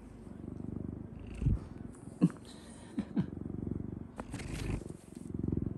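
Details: Domestic cat Odeko at home, impatient at being ignored by the man of the house while he eats, before climbing onto him: a steady low rumbling purr, swelling and fading, with a few soft clicks and faint voices.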